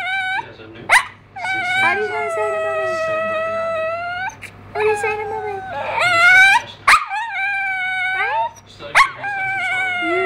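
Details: A female pet dog "trying to talk", as if she thinks she is human: long, drawn-out, howl-like tones that bend up and down, with sharp yelps between them and short pauses.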